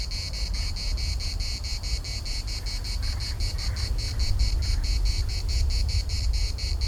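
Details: Larnaca municipal park cicada chorus, a sharp shimmering buzz broken into fast regular pulses, with gusty low wind noise underneath.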